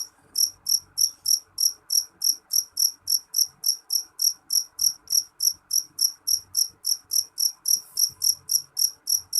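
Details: Loud, piercing calls of a jeliteng cricket, a run of about thirty evenly spaced, high, metallic chirps at roughly three per second over a quiet, faintly humming background.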